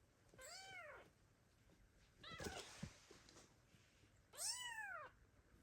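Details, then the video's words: Kittens left by their mother cry loudly for her, giving two arched meows separated by a brief clatter of background noise in the middle. "The kittens meow loudly and call their mother cat, but she abandoned them."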